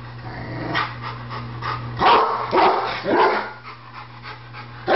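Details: Pet Rottweiler barking at a barbecue grill, a Doberman beside it: three harsh, broad barks about half a second apart in the middle, a fainter bark earlier, over a constant low electrical hum.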